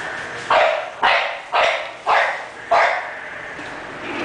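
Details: English Bulldog barking: five loud, abrupt barks spaced about half a second apart, each with a quick attack and brief tail, slightly yelping in tone, with little else audible.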